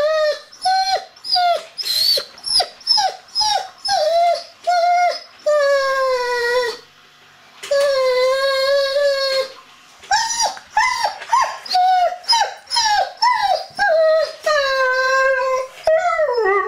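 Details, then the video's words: Frustrated young male Dobermann, one year old, shut behind a door while visitors are in the house, voices long whines and howl-like drawn-out cries, steady tones interrupted by choppy descending yelps, repeated in bursts. "Crazy Whining Doberman"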